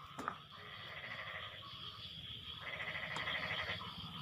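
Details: Frogs calling to one another after the rain has stopped: overlapping nasal, pulsed croaks in short bursts, fuller after about two and a half seconds, over a steady high insect drone and a low background rumble.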